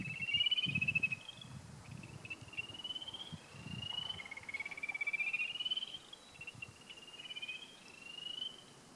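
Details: Spring peepers calling from a marsh on Prospect Mountain in Alton, central New Hampshire, April 15, 2013, after a snowy, cold winter: a distant chorus of high, thin, rising peeps overlapping continuously, with low rumbling background noise.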